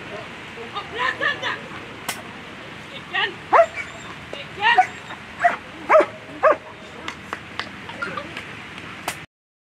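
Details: German Shepherd named Rocarzja Puma competing in World Championship agility, with a run of sharp, yelping barks clustered mid-recording, mixed with voices and loud crowd sounds before an abrupt cut to silence.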